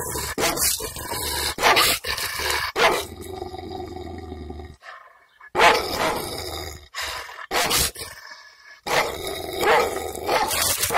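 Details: Angry Kangal dog in a village, filmed with the owner's permission using a camera microphone on a selfie stick: loud, harsh barks in bursts, a low steady hum during a quieter middle stretch, then renewed barking.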